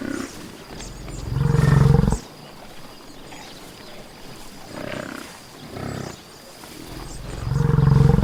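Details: Buffalo in nature giving deep, low, rumbling bellows: one strong call of about a second near the start, a quieter stretch with soft grunts, then another loud low bellow at the end, with outdoor background hiss.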